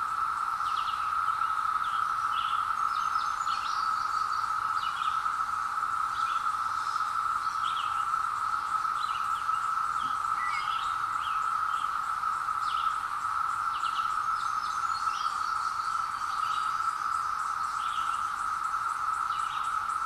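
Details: Wild periodical cicadas emerging after 17 years in woods, recorded on a hill with a Zoom H2. Their massed chorus forms a steady, unbroken droning whine, with faint higher bird chirps scattered above it.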